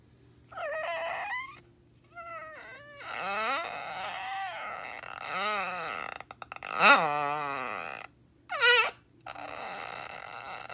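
A dog gives drawn-out, wavering whines that creak and bend in pitch like a squeaky door.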